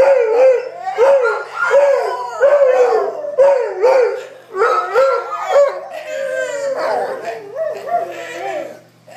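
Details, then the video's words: A group of howling dogs: short, rising, yodel-like howls repeat about twice a second. They then merge into overlapping, wavering howls from several dogs that fade at the end. "Howling dogs"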